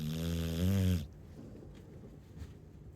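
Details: A sleeping Chow Chow gives one low, droning snore of about a second with a steady tonal hum, then falls into faint quiet breathing.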